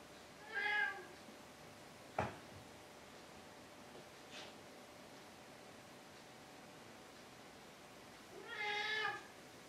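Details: Pet Maine Coon indoors at home; two clear, tonal meows with rich harmonics and a slightly arched pitch, one near the start and one about eight seconds later, separated by a sharp knock and a soft tap in a quiet room.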